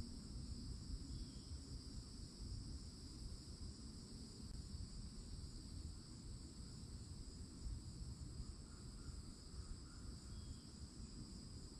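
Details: Florida summer woods at a forest edge with loud cicadas: a continuous shrill, even-pitched hum that never pauses, laid over heavy low background rumble, with faint short chirps now and then.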